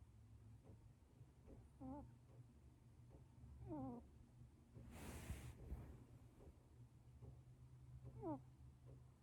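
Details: Sleeping British Shorthair kitten Luna snores or breathes noisily: three faint, quavering, whistly nasal squeaks spaced a few seconds apart, with a brief rustling burst in the middle and steady low hum behind.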